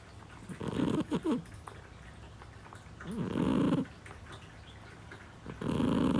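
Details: Indoor snoring from Parfe, a seven-year-old female Scottish Fold cat: a stuttering double snort, then two longer, smoother rasping breaths about two seconds apart, low and wheezy against a quiet background.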